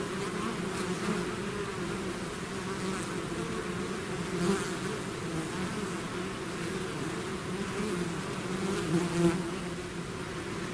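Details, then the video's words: Dense humming of a honeybee-style swarm emerging from its hive, a steady low buzz that wavers slightly, with individual bees zipping close and briefly louder toward the end. "bees therapy swarm natural buzzing sound"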